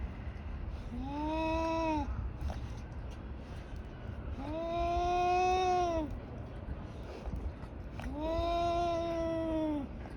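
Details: Two tabby cats in a fight, one giving drawn-out wailing yowls about two seconds long, each swelling and then falling, three in a row with pauses between, over a low background rumble.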